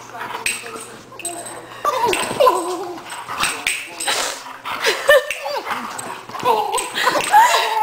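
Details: Two pet dogs, Bella the Doberman and Addie, a new cocker spaniel, fighting: rough snarls and growls break into high, whiny, bending yelps in bursts, with people talking over the scuffle throughout.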